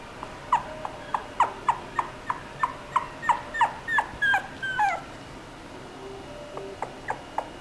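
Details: Chihuahua giving a run of short, high, downward-sliding yips and whimpers, about a dozen in five seconds, rising slightly in pitch toward the end, followed by a pause and a few fainter yelps.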